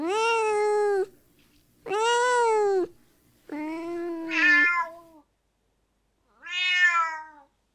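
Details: Domestic cat meowing, used to attract cats: four clear, arched meows roughly a second long each, the third ending in a falling tail, with short silent gaps between.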